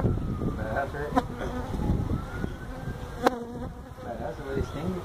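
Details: Honey bees from a feral colony nesting in a tractor tire at a citrus orchard in Mission, Texas, as the hive is removed; a steady low buzz with faint wavering higher tones and sharp clicks of handling.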